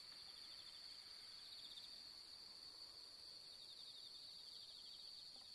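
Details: Bell crickets sing a steady, high, ringing trill without pause on an autumn night of the fifteenth-night moon, among pampas grass.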